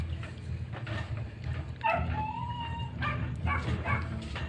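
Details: Chihuahua puppies at play, giving a thin drawn-out whine that holds a steady pitch for about a second, with short yips and scuffling around it over soft background music.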